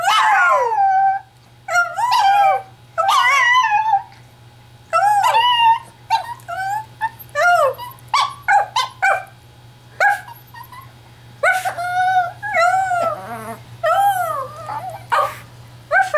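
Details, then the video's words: Chihuahua made to howl by its owner: high, wavering howls that rise and fall in short bursts, broken by quick yips and gaps of quiet, over a steady low electrical hum. "chihuahua howling"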